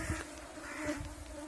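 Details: Mosquitoes in Yakutia: a steady, droning whine held on two even tones throughout, over soft broadband hiss and a few faint knocks.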